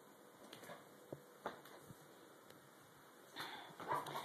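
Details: White German Shepherd Dog named Joshua, indoors after a shampoo, resisting being brushed; short, high whining yips cluster near the end, after scattered clicks and handling noises, with a person's voice nearby.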